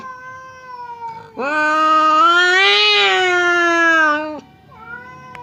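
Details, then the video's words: A domestic cat gives a sustained, loud, slightly rising yowl lasting about three seconds, framed by softer moans. Fierce Temon and quiet Lelo growl threats at each other across a partition that keeps them from fighting. "SUARA KUCING BERANTEM | cat fight sound effect"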